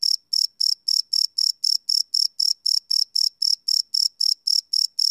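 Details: Nocturnal cricket chirping recorded live with a Sony PCM D100 field recorder, high bright pulses repeating about four times a second without a break, clean and free of other noise.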